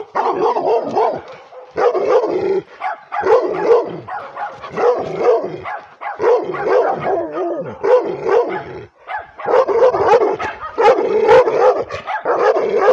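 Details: A female pit bull–Redbone Coonhound mix barks aggressively at the camera in rough, rapid bursts with growling between them.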